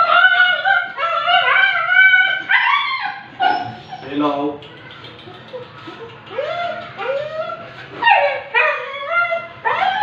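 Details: Siberian Husky during an artificial insemination session: high harmonic whines and yelps rising and falling in quick succession, some arched cries near the middle, with a low background hum.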